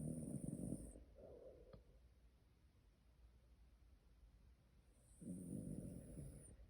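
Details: Tired Shiba Inu snoring in its sleep: two rough, low snoring breaths about four seconds apart, each paired with a thin high whistling tone, with quiet breathing between them.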